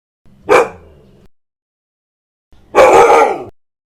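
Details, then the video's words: Dog barking, described as aggressive: one short bark followed after a pause by a longer, harsher, drawn-out bark lasting almost a second. "Hundebellen, Bellender hund sound, Hunde bellen"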